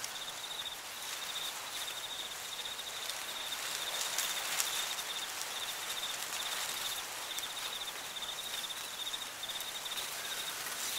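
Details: Fall crickets in a cornfield trill in quick, high pulses, roughly two chirps a second. The song fades slightly mid-clip under a broad wash of rustling leaves and soft wind.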